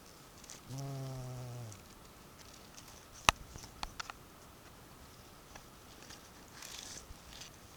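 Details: Bumblebee at Sant Llorenç de Morunys on 17 July 2020: a steady, low, droning buzz with rich harmonics lasting about one second, followed by a few sharp clicks over quiet outdoor background noise.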